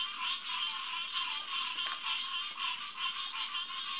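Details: Green tree frog chorus, Hyla cinerea, at Headquarters Pond, SMNWR, on the night of June 2, 2021, around 9:10 pm: dense overlapping nasal honking calls repeated rapidly, over a steady high insect drone.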